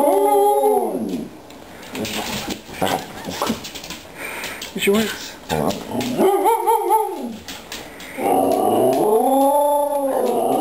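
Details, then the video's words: Indoors, pet dogs Aggie and Hailey yodel for treats: arched, harmonic howling notes at the start, middle and end, with a human voice talking and household knocks in between. "Dogs yodelling for treats"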